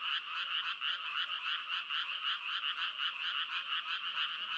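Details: A steady frog chorus of rapid, rasping pulses, roughly three to four per second, forming an unbroken buzzy wall of croaks with even loudness and nothing else clearly audible.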